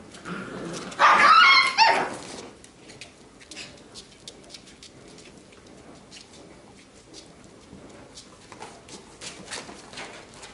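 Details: Labrador Retriever puppies from a B litter playing together relaxed and fooling around indoors; one loud yelping, whining burst lasting about a second and a half near the start, then quieter scuffling and patter of play.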